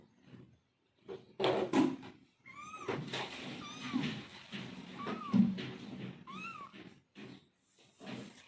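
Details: Domestic cat, a mother calling to her kittens: several high, arched meows, rising then falling, scattered between thumps and rustling handling noises indoors.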